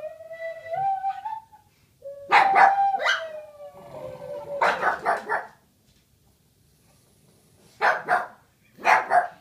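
A Boston Terrier howls in wavering, yodelling bursts alongside the steady tones of a wooden flute.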